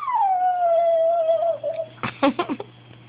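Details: Bailey, a pet dog, pleading because he wants something: a long, tonal whine slides slowly downward for almost two seconds, followed by four quick, sharp yips. A low, steady hum runs underneath.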